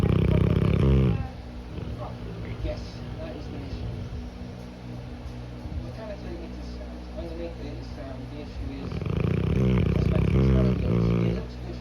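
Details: Snoring Cane Corso at nap time: a rattling low snore at the start, a long quieter pause with faint voices, then a second loud fluttering snore about nine seconds in.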